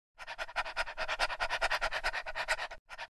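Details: Homeless puppy panting among stray puppies and dogs that greet visitors and follow them to food and water bowls; fast, breathy, steady pants about twice a second, with a short break near the end.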